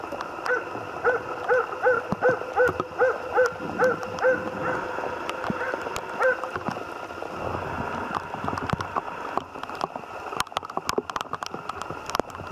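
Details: Jämthund named Otis barking while moose hunting: a steady series of sharp, evenly spaced barks about every 0.4 seconds for roughly six seconds, then stopping, leaving rustling, clicks and faint background noise.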